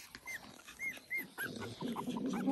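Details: Four-week-old Papillon puppies of the "L" litter give three short, arched, high squeaks in quick succession, followed by rustling and shuffling noises and fainter whimpers.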